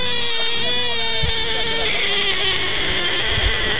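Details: A frog screams in one long, loud, harmonic-rich cry that holds steady at a middle pitch for nearly four seconds, with low thumps beneath.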